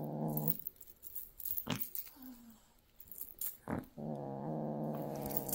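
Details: Golden British Shorthair kitten, born 6 January 2024, growling as predatory instincts awaken during play: sustained low, throaty harmonic growls at the start and again for the last second and a half, with a short brief vocal sound between and quiet room noise.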